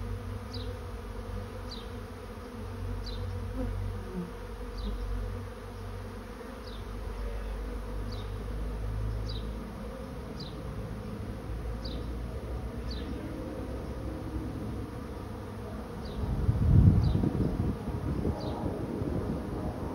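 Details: A swarm of honey bees settling into a trap produces a continuous deep hum that swells near the end, while a high, thin chirp repeats about every second and a half above it.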